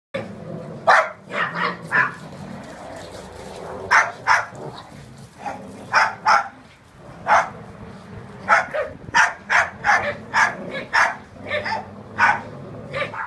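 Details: Rhodesian Ridgeback and Jack Russell terrier playing tug of war over a blanket until it tears; sharp, short barks and yips in quick irregular bursts, about twenty over the stretch, with growly rumbling underneath.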